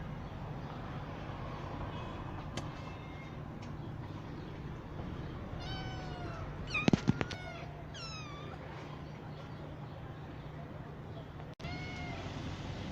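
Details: Rescued kittens born to street mother cats, growing up safely in a cat house while being treated with eye drops; a quick series of short, bending meows, then sharp clicks and knocks over a constant low hum.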